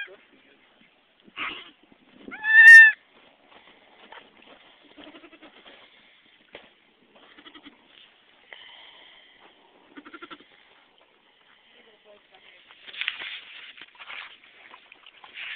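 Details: Nanny goat giving birth to kids on a farm: one loud, strained bleat rises and falls, with a shorter cry before it, then quiet rustling, faint clicks and later shuffling noise.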